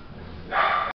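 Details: One Chihuahua bark, a sharp, high, slightly drawn-out yap that cuts off abruptly after a quiet start.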